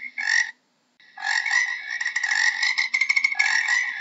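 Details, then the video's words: Brief frog croak, then a short silence and a long continuous rattling trill of fast pulses that quickens toward the end, with a soft low hum in the background. "How does a Frog sounds"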